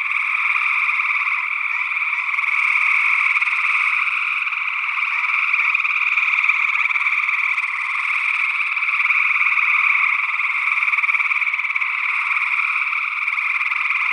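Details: Gray tree frogs calling in Northwest Wisconsin during early June 2022, together with an unidentified second frog species, recorded through an ORTF stereo condenser pair; continuous layered trilling forms a dense, even chorus with only mild shifts in intensity.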